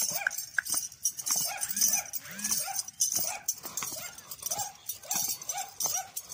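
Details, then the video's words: Dog barking loudly while a horse dances, short yapping barks repeated irregularly over a hissing, noisy background with a few lower grunting sounds. "Dog Barking loudly when Horse was dancing"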